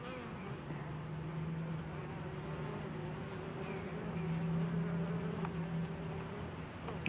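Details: Honey bees working a homemade pollen substitute when no wild pollen is available; a thick swarm drone with a steady low hum that swells toward the middle and stays constant, faint clicks scattered through it.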